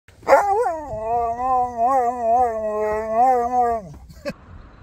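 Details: A Husky crying with joy on seeing people gives one long, sustained, tonal howl-like whine lasting about three seconds, wavering up and down in pitch, opened by a sharp yelp and closed by a short squeak.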